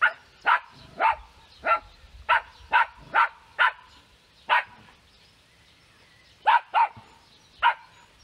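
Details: Maggie, a female West Highland White Terrier living in Germany, gives about a dozen sharp, high barks in uneven bursts, several quick pairs and then longer gaps, with quiet in between.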